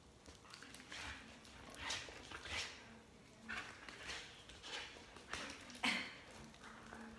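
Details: Border Collie barking while its owner jumps rope indoors; short harsh bursts come irregularly, roughly every half second to second, over a low steady hum and soft background thumps.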